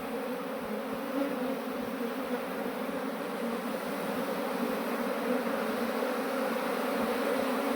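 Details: Honeybee swarm that had absconded, being transferred by a beekeeper into a modern hive; a dense, steady droning hum with a low tonal band and a brighter band above it, continuous without pauses.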